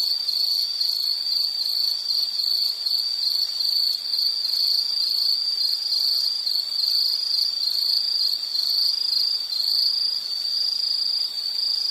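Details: Continuous high insect chirping chorus with pulsed trills and a faint upper layer, unbroken for the whole stretch.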